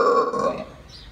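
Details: Howler monkey in Aruba giving a short, loud, guttural call with a rich harmonic stack that fades away in just over a second; a man's voice follows.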